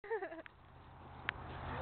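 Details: A puppy squeals as a pet cat chases it: a brief high, wavering squeal at the very start, followed by near quiet with a single sharp click.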